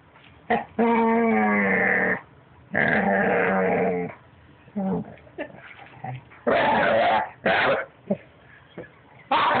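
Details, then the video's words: Puppy kept as a pet making strange talking-like noises: long moaning whines with a warbling, bent pitch alternate with short sharp yips and soft grumbles, then louder strained bursts near the end. "Cute puppy making noises"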